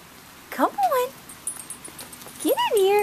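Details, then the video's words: Roxy, a chocolate Labrador Retriever afraid of roofing materials in a driveway, lets out two rising-then-falling wavering whines, each sliding down into a long tone, while someone calls her into the house. "SCAREDY DOG! featuring Roxy the Chocolate Lab"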